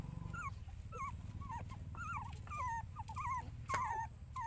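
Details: Mother dog with her puppies: a run of high, thin whimpers, each a short falling whine, repeated roughly every half second with a few shorter yelps between and a steady low hum beneath.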